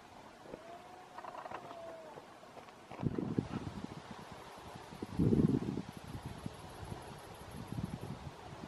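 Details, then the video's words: Red deer roaring during the rut in Berguedà, Catalonia, in 2016: after a thin, level tone early on, hoarse low roaring bursts come in short pulses, the loudest in the middle, then fade into softer grunts over outdoor background hiss. "brama del cérvol al Berguedà"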